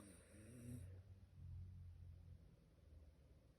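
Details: Tired Shiba Inu snoring while asleep: low rumbling snore rising and falling over a few seconds, with a brief high hiss at the start.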